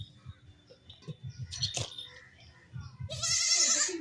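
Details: Baby goats playing: low rustling and knocks with a faint voice, then a loud, wavering, high bleat in the last second.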